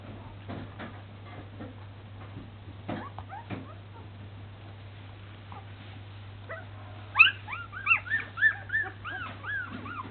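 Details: Newborn Samoyed puppies taking their first wobbly steps; soft scuffles and faint squeaks at first, then a burst of high, arching puppy whimpers and squeals repeating rapidly over a steady low electrical hum.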